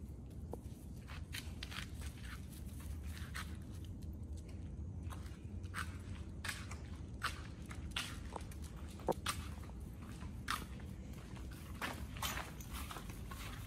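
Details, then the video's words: Raw-fed dogs Oli and Nomy chew raw meat: a steady run of sharp, irregular crunches and snaps over a low, constant rumble, quieter and close-miked in ASMR style. "Oli&nomy VS.🍖RAW Food [ASMR] MUKBANG 犬が生の肉を食べる[咀嚼音] Dog VLOG"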